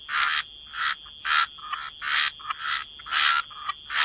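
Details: Frogs croaking by the waterside in a wetland chorus: harsh, rasping bursts about half a second long, spaced by short gaps in an uneven rhythm, with a faint steady high-pitched tone running underneath.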